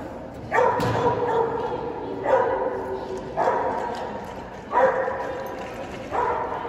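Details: AKC Boston Terrier, January 2022, barking steadily: loud, rough single barks repeated about every one and a half to two seconds, five in all, each with a brief trailing tail over a low background hum.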